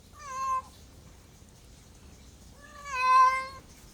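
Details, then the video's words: Two meows from a domestic cat: a short, clear cry followed after a two-second pause by a longer, louder, steady meow rich in harmonics, over a quiet background. "MEOWING MEOWING - CAT CUTES - CAT FUNNY - SOUND CAT - MEOW CAT 01"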